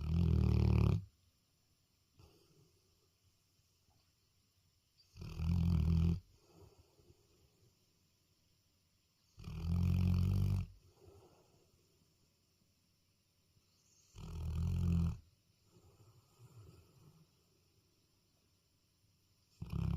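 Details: Dog snoring at night: deep, rumbling snores repeating about every five seconds, each lasting roughly a second, with quieter breathy exhales between them.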